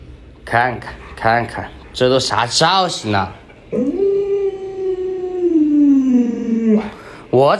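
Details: An indoor pet Alaskan Malamute named Luoluo tries to rouse its sleeping owner late in the morning. Choppy voiced sounds lead into a steady three-second howl that glides gradually downward, ending with a brief renewed outburst.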